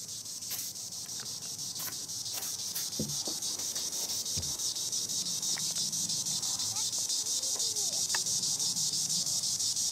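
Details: Green annual cicada, Tibicen linnei, singing in the treetops; a steady, high, continuous buzzing drone that holds throughout, with faint bird chirps and soft knocks underneath.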